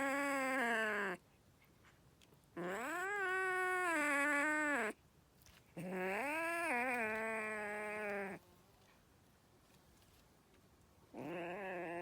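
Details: Angry kitten giving long, drawn-out wailing meows, each rising then falling, three sustained calls of about two seconds separated by short silences, with a fourth call starting at the end.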